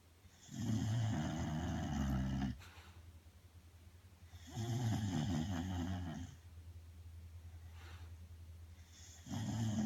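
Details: Bulldog Belle, fast asleep, snores steadily: three deep, rattling inhalations roughly every four seconds, each a gravelly rumble strong in the low range, with a quiet indoor background.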